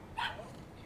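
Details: A dog outside, described as going crazy out there, gives one short, sharp bark, heard indoors over faint room noise.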